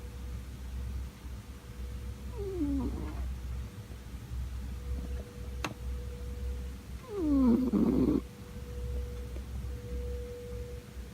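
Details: Snoring Scottish Fold cat, born 31 July 2004; two gravelly, downward-gliding snores several seconds apart, the second louder, with a faint click and constant low hum in the room.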